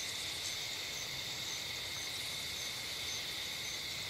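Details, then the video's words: Unbroken high whirring of insects filling bushes and trees on a summer night along a dirt road, several stacked trilling bands with light pulsing, a faint low hum underneath. "Night Sounds Ambience"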